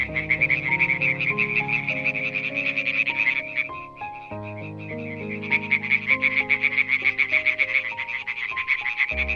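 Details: {'text': 'European tree frog giving fast, rasping croak trains, with a brief lull near the middle before resuming. Gentle piano melody plays steadily in the background.'}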